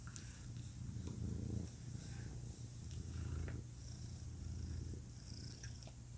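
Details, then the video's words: Male pet cat purring, a deep continuous low rumble that swells and fades over a few seconds, with slight faint clicks and rustling on top. "Cat Purring"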